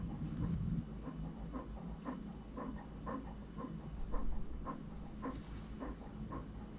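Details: Franklin, an English Cream Golden Retriever puppy, pants in short airy bursts roughly twice a second, a little louder near the middle, over a low background rumble.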